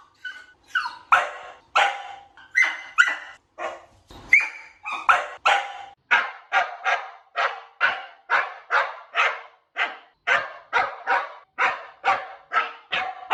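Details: Dog barking for sound-habituation training, the stage moving from whining to barking only; a steady run of loud barks, about two per second, with a few whiny yelps early on.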